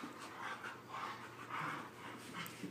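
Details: Husky pup, described as a Husky, Chihuahua and Lab mix, wrestling playfully with a once-hostile housemate dog, giving breathy, panting growl bursts in quick pulses, with a faint steady hum underneath.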